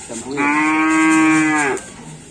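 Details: Karapan racing bull brought from Sapudi island, Indonesia, giving a single loud, flat, sustained moo lasting about one and a half seconds, with faint background noise.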